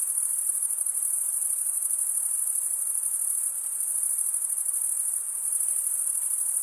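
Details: A chorus of male crickets producing their chirping by rubbing wing against serrated wing vein, heard as an even, very high ringing trill that never pauses, gently swelling and dipping in intensity.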